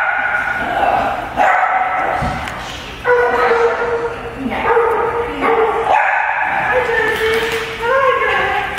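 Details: Puppies at play in daycare among other dogs and people, a noisy chorus of sharp barks, yips and drawn-out whiny yelps in repeated bursts, with a person's voice nearby.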